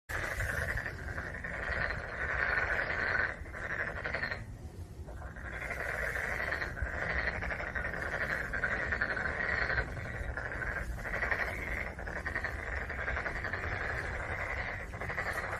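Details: Black-spotted pond frogs croaking in a dense, continuous chorus of rapid pulsed, rattling notes, mid-pitched and overlapping, with a brief lull around four to five seconds before the chorus swells again.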